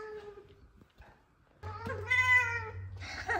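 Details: A female F2 Savannah cat gives loud, drawn-out meows that bend downward, greeting her owner home from work.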